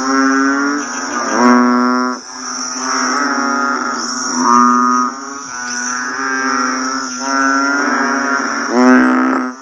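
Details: Banded bullfrogs calling just after rain: many overlapping deep, moaning, bleat-like calls swell and fade in waves about every two seconds, while a steady high-pitched drone runs underneath throughout.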